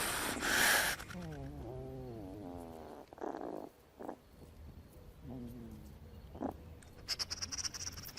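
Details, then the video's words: A hedgehog gives a loud, harsh, breathy hiss, said to scare off enemies, with a person talking over it. "так він шипить страшно відлякує ворогів"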